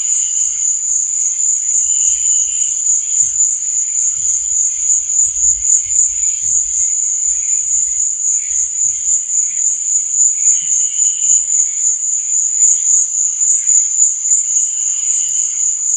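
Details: Chirping crickets at night form a constant piercing high trill, with quieter lower chirps coming and going and a few soft low knocks in the middle.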